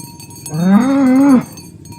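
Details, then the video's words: Herd of tame cows walking to the pen along a village road in the morning; a single steady, drawn-out moo about a second long, rich in harmonics, held level with a slight dip and ending abruptly. "Asmr Sapi Moo | Suara Moo"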